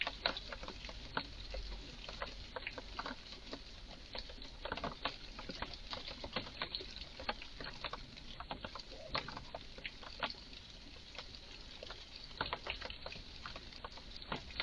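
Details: Strange calls from a visibly worked-up red squirrel in a garden: dense, rattling series of dry ticks and chucks, sometimes clustered, continuing throughout over faint hiss.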